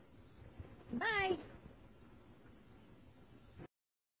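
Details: Siberian Husky being taught basic training commands by its owner: one short, wavering, tonal whine-howl lasting about half a second, rising and then sliding down with a warbling quaver, followed by quiet room noise.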